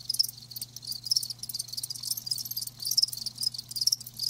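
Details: Several live crickets chirp in quick clustered bursts, sharp high pulses rising and falling in loudness roughly each second, above a faint hum.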